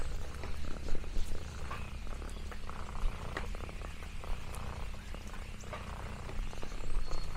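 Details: Lexi the orange tabby cat gives contented purrs on a rural farm, a rich low rumble steady across the clip, mixed with crunchy leaf crinkles and small popping sounds.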